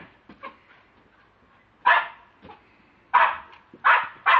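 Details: Lakeland Terrier, captured with a mobile phone, lets out four loud rasping barks, one alone and then three in quick succession near the end, with quiet stretches before.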